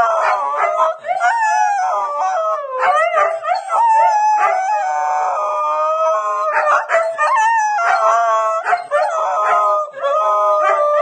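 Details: A female Siberian husky reacting to a howling video gives drawn-out howls that glide up and down in wavering, yodel-like tones, broken only by brief pauses for breath.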